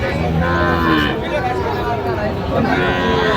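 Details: Sahiwal bull at a Natore livestock market, 31 December: low, buzzy lowing with wavering harmonics over dense crowd chatter and market noise.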